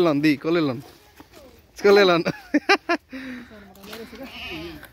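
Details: Goat bleating: two quavering, wavering bleats in the first seconds, then a louder drawn-out bleat with rapid sharp bursts after it, and softer lower calls toward the end.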